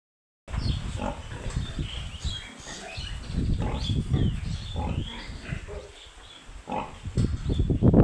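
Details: Piglets on a pig farm giving a dense run of low, rapid grunts, about three or four a second, with a few short higher squeals over them and louder grunting at the end.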